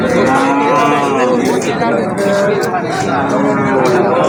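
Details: Local cows and calves at the Habiganj cattle market: a long, sustained lowing moo with rich, steady harmonics that waver slightly over four seconds, with faint market chatter beneath.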